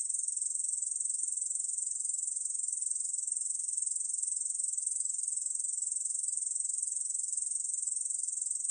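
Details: Continuous song of a Korean bush cricket from a 2020 National Institute of Biological Resources recording in Korea: a high, dry, rapidly throbbing buzz that holds constant pitch and volume throughout.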